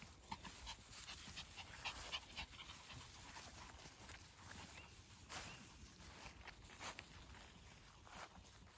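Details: Spitz dogs out on a walk in the village of Zagarino on 15 July 2021; one pants in quick, breathy bursts, several each second, with faint outdoor background noise.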